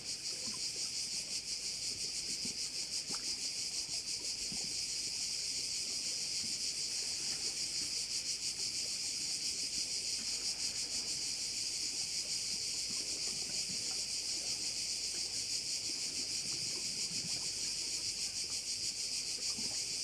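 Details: Crickets heard from a bay on Korčula: an unbroken, piercing high trill with rapid regular pulsing, roughly three beats per second, dominating throughout and only faint low background sounds.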